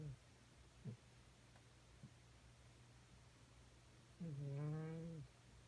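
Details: Snoring from a cat estimated at 13 years old, collapsed asleep on a beanbag after a night of demanding bottom pats: faint short snorts, then one long, louder, low harmonic drone near the end, in a quiet room.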